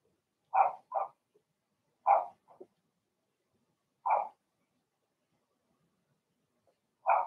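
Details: Young Blenheim Cavalier King Charles Spaniels, part of a six-puppy litter, yapping in an indoor puppy pen: clipped high barks, some paired and some single, repeating irregularly every one to two seconds in a quiet room.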